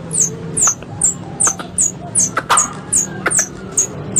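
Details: Squirrel calls from an Indonesian hunting-club lure recording, a three-in-one mix: sharp, high, downward-sliding chirps repeated about two or three times a second, with soft clicks and a faint low hum underneath.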